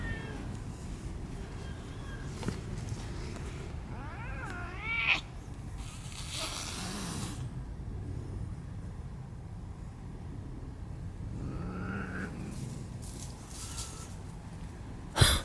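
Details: Cats in a park feud between an old cat family and young red tabby brothers; a wavering rising-falling yowl near five seconds, a higher cry around twelve seconds, soft background rumble and a sharp click at the end.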